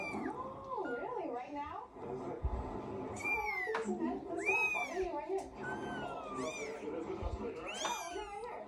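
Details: Several three-week-old Scottish Fold kittens, part of a litter of seven, cry repeatedly: a wavering mew early on, then a run of high, short, rising-falling mews every second or so, with people talking underneath.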